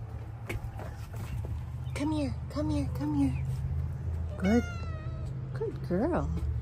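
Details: A female Bengal cat exploring a garden gives a run of short, arched meows, then a sharper rising meow and a final quick rising call, while a person calls to her and a steady low hum runs beneath.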